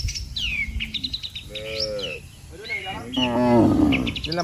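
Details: Cattle calling the herd to go home while lined up on a road: a short, tonal, low moo, then a longer wavering one, set against busy chirping birds.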